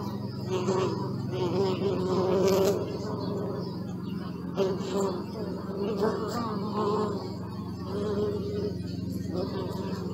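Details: Several bees humming, the drone rising and falling as insects pass near, with louder buzzy bursts early on and again toward the end over a constant low hum.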